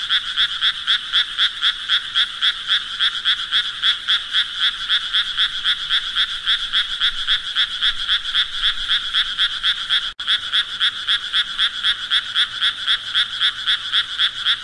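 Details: Frogs keep up a long, even series of high, buzzy croaks at about four per second, broken only by a momentary drop-out near the ten-second mark.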